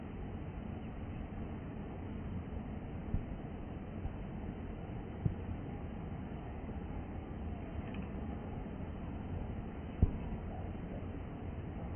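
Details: Steady low outdoor rumble like distant traffic continues, with a few faint knocks and no animal sound.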